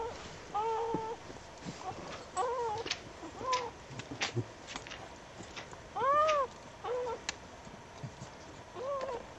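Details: Newborn puppies heard on a winter night after a snowstorm, just after their mother gave birth: short arched squeaks, some doubled, scattered across the clip against a low steady hiss.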